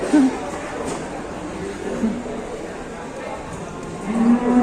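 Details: ['Cattle ploughing in Indonesia and causing trouble; a brief low moo at the start, a short grunt near two seconds, then a steadier moo rising in the last half second, with people talking.']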